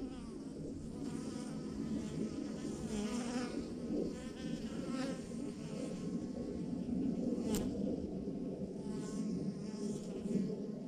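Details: Swarm of honey bees, thousands clustered together on a branch, producing a continuous thick hum that shimmers and pulses gently, with overlapping wingbeat tones and one brief sharp click midway.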